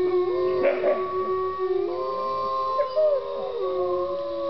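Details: Captive wolves howling together at Bays Mountain Park in Kingsport, Tennessee, sustained smooth tones layered at different pitches with short wavering and yipping inflections, plus a brief burst of human laughter near the start.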